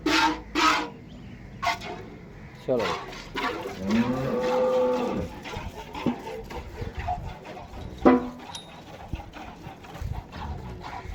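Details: Friesian Cholistani cross cow for sale in Pakistan, dated 07/08/2024; a drawn-out, low moo rises and falls mid-clip amid music, clattering knocks and background noise.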